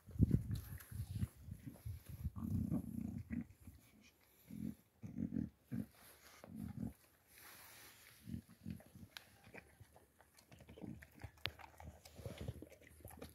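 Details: Boxer dog named Makica during feeding, giving low, throaty grunting and growl-like bursts in short clusters, strongest over the first seven seconds, then softer scattered snuffles and clicks.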